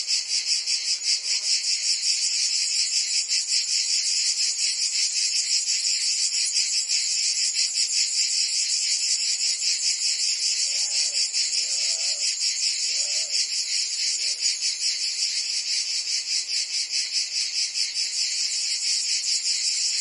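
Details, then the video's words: In Provence, France, cicadas sing on a summer day, their high rasping drone pulsing rapidly and evenly, while a few faint lower chirps, possibly a distant bird, surface midway. "Cicadas singing in France (Provence)"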